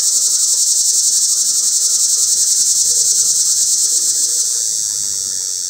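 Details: A cicada calling from up in a pear tree gives a loud, steady, high-pitched buzzing drone, a mating call.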